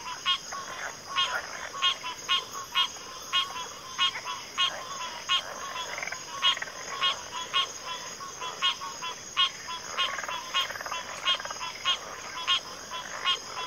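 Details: Frog chorus of many overlapping callers, with short pulsed croaks repeating about every half second over a steady high insect-like drone.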